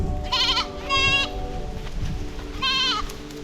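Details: Goat kids bleating while being led out to free-range graze in Tamil Nadu, seven kids running behind the herder with one missing; three short, quavering, high bleats over a steady musical drone.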